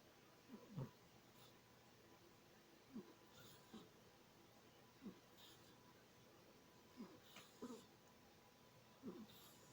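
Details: Domestic cat Serena sleeping soundly and dreaming, sniffing loudly almost like snoring: soft, short raspy breaths recurring every one to two seconds over a quiet, faintly hissing room.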